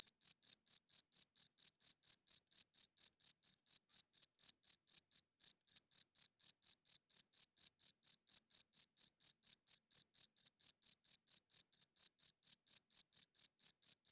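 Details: A cricket's loud night chirping runs on for over fourteen seconds as a fast, regular series of bright, high chirps, about four a second, briefly faltering near the middle before continuing steadily.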